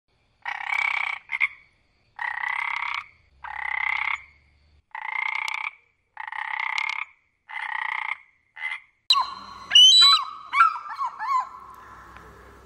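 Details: A frog croaks in a run of eight harsh, buzzy, evenly spaced pulses, each about half a second long, then gives way to sharper chirping, warbling calls toward the end.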